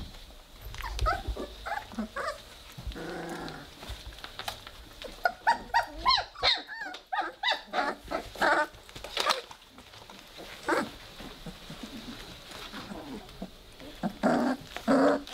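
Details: Playing Weimaraner pups, three weeks of age, with scattered squeaky growls and a few harsher bark-like bursts, clustered mid-way and again near the end, amid shuffling and background rustle.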